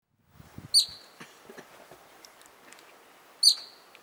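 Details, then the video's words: Excited Columbian ground squirrel in Little Yoho Valley, in front of the Stanley Mitchell Hut, giving two sharp high chirps, one early and one near the end, with faint scattered rustling and quiet background between them. "Excited Columbian Ground Squirrel"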